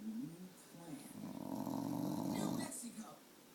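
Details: Tater the dog vocalizes for a popsicle stick with short low grumbles, then a sustained groaning whine of about one and a half seconds that fades into quieter murmurs, heard in a small indoor room.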